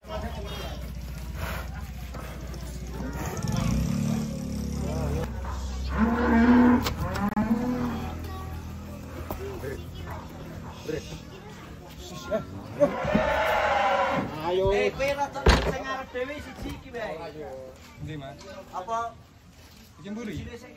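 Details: Giant cattle being unloaded from a truck give a low, drawn-out moo of about three seconds. Several people shout and talk around the animals, with music, clapping and handling noise in the background.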